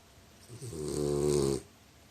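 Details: A French Bulldog gives a single rough, buzzing snore lasting about a second, rising in strength and then cutting off abruptly, over a faint room hiss.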